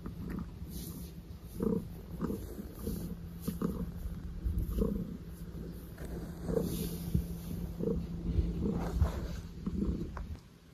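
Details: Maple, a pet cat, gives a low, steady rumbling purr with soft rhythmic pulses running through it. Faint indoor background hum.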